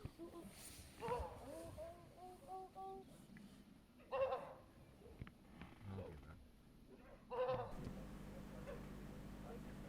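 African wild dogs give short, harsh, tonal barks in bursts to lure lions away from their pups' den.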